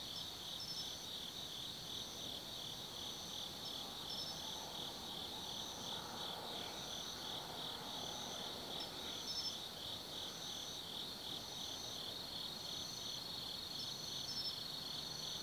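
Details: Night chorus of autumn insects in the forest of Tsukimi no Mori, Nanno-cho, Kaizu, Gifu, Japan: continuous shrill ringing trills layered with short repeated chirps every few seconds, with faint low background hum.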